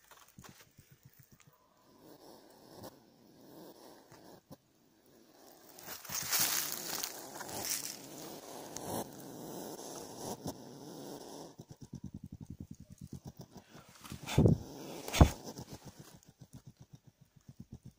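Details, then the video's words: Hedgehog giving quiet, rapid, clicking pulses like soft snuffling, in runs at the start and again near the end, broken by a louder rustling burst in the middle and two sharp knocks. "Как говорит Ёжик"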